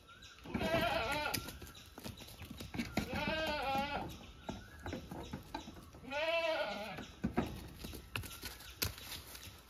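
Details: Kept goats bleating in three bursts, each a quavering, nasal bleat with a strong harmonic stack, separated by a couple of seconds, against steady background hiss and occasional clicks.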